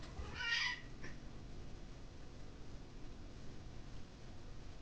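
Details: Rare meow from an 11-year-old male orange tabby Munchkin cat at home: a single short, bright meow lasting about half a second, followed by a faint brief trailing note, then quiet room noise.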